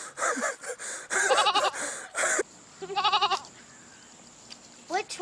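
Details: Goat eating grass, giving wavering, quavering bleats in bursts around one and three seconds and again near the end, mixed with people talking.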